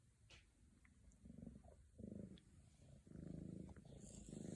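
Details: Scottish Fold kittens wanting attention, Virginia: low, rumbling purr in pulsed bursts of about half a second to a second, separated by short quiet gaps, with a faint high hiss near the end.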